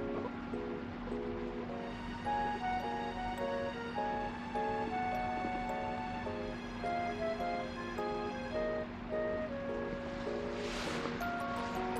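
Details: Gentle instrumental music with a steady low drone, repeating melodic notes and a brief whoosh near the end, with no animal voice apparent.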